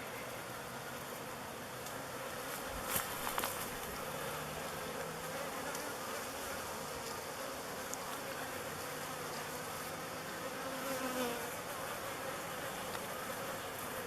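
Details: Bees clustered in a swarm choosing a log hive, Bee Beard, as their future home; a steady, broad droning hum of thousands of flying bees, with a few brief louder whines of single bees passing near.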